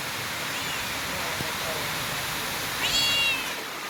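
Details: Female domestic cat during play with her owner, giving one short high meow near the end that rises then levels off, over a steady hissing background.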